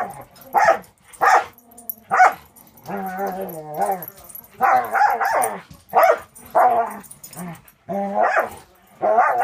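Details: Six-month-old Border Collie mix Angel, a foster dog with Wisconsin Border Collie Rescue, in play with Cisco: sharp barks mixed with longer, wavering growl-whines in bursts, some drawn out over a second, repeated throughout.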